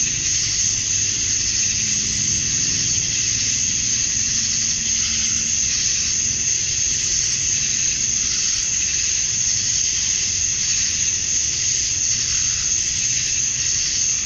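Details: Summer-dusk chorus of male cicadas in Georgia, USA, singing to draw females. A continuous shrill, buzzing drone that swells and eases slightly in slow waves, over a soft low hum.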